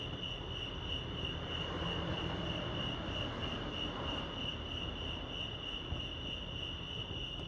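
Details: Crickets chirp in a steady, high, ringing chorus over a low background rumble at Lake Arrowhead, California.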